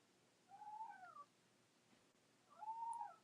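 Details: A domestic cat gives two drawn-out, tonal meows, each slightly rising then falling, about two seconds apart; the owner thinks it is the cat whose meow is lower than the other cat's higher, squeaky one.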